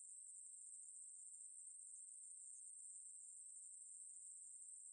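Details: A Ruspolia katydid's sustained song, recorded by the National Institute of Biological Resources in 2020: a thin, high, electric-sounding buzz, even and unchanging throughout, nothing else audible.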